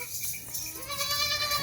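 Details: Nachi goat kids with a doe on a Pakistani goat farm; a short wavering bleat rises midway and holds as a nasal, harmonic tone to the end, over steady background hiss.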